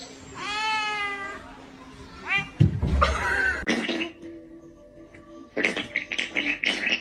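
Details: Kitten gives a long, clear, harmonic meow, then a second shorter meow, followed by people talking loudly over background music.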